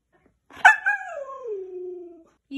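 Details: Siberian Husky in a small room giving one sliding vocal note that jumps up abruptly, then glides steadily downward into a low held tone, with a brief second sound starting at the end.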